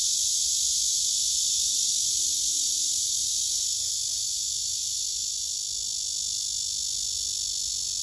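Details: Male cicada singing on a tree near other males and females, filmed with a phone: a steady shrill buzzing hiss, with a faint low sliding tone briefly beneath it.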